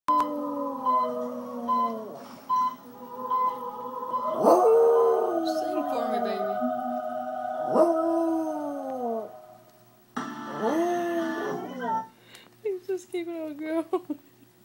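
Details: A male beagle howls along with operatic music on the TV in long, wavering notes that slide downward at the end, howling louder and higher when the singers hit higher notes.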